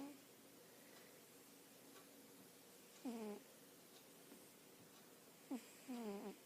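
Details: Sleeping pet cat snoring indoors: two short, harmonic, whistling snores, each sliding downward in pitch, about two and a half seconds apart, with a faint room hiss between them.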